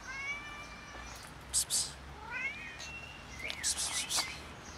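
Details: Affectionate cat walking up gives a drawn-out, harmonic meow, then a shorter rising one and a third brief mew, with handling rustles and clicks in between against steady outdoor hiss.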